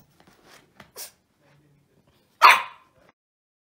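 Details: A Shih Tzu puppy that can't get its rubber ball gives a single sharp, high yapping bark after a few soft scuffling sounds.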